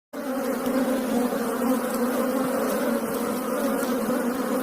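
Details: Asian honey bees, Apis cerana indica, buzzing as a steady, dense drone with a low hum and layered higher tones, unbroken for about four and a half seconds, with no other clear sounds.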